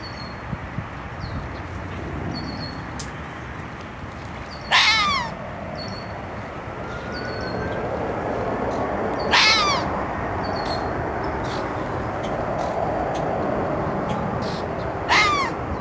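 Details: Red fox uttering three loud, scratchy barks roughly five seconds apart, each a short call that drops in pitch, over a hissing background with a few faint bird chirps.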